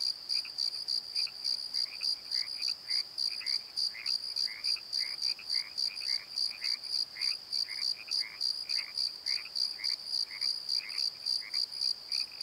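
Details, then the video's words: Nighttime crickets calling from a valley bottom, rapid high chirps at a steady pace of about three a second, with a busy layer of lower rhythmic chirps or croaks beneath. "Crickets and Croaks! Pozo Night Tree"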